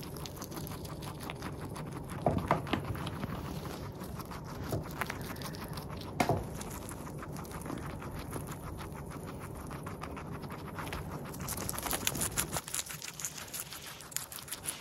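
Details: A Teddy or Abyssinian guinea pig, recorded close up at the mouth, chews steadily, making soft, rapid crunching and nibbling sounds.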